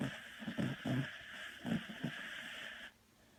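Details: Sleeping Beagle Manani snores hard in deep sleep, a series of low, grating breaths pulsing about every half second, with a steady hiss underneath that cuts off abruptly near the end, leaving near silence.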